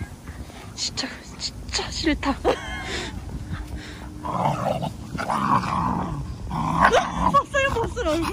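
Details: Two best-friend dogs, one a male English Golden Retriever named Mango, wrestle in play: a low, rumbling growl swells through the second half, broken by sharp grunts, while women talk and laugh and urge the dog to lie down.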